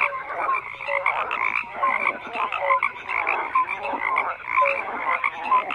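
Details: Croaking frogs fill the air in an unbroken chorus, rhythmic pulses swelling about every second, with bright short whistle-like notes repeating among the rougher calls.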